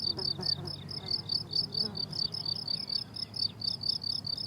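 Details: On a flowering summer meadow, crickets keep up fast, evenly spaced high-pitched chirps, while brief buzzing and faint low rustling sounds pass beneath them.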